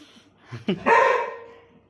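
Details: Labrador Retriever puppies, a litter playing indoors: one short, loud bark with a rising onset that fades over about a second, after faint background noise and a brief scuffle.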